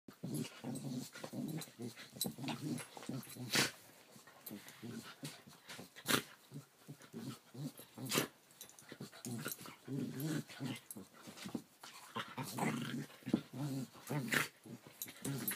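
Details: Two Keeshonds play wrestling on June 1, 2014, one on top of the other: rough, low growls come in dense bursts, broken by sharp knocks and scuffling thumps from the tussle, with a brief murmur of human voices.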